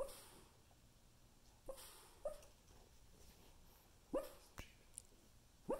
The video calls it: Havanese dog Coco barks in his sleep